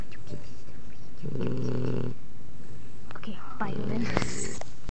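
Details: Loud snoring from a sleeping puppy: two rumbling low breaths about two seconds apart, with a brief human voice and small handling noises between them.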